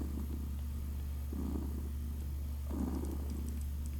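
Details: Two stronger purr cycles from six-day-old kittens Naoki and Kit while drinking, each a breathy rumbling burst lasting about half a second above a steady low hum.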